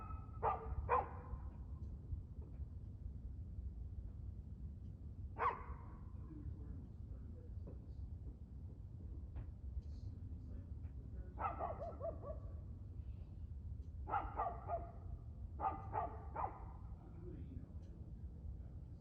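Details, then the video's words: Dog barking at 6:02 pm on 2/6/2024, with sharp barks in doubles and triples spaced by pauses of a few seconds, over a continuous low hum and rumble. "Barking Dog"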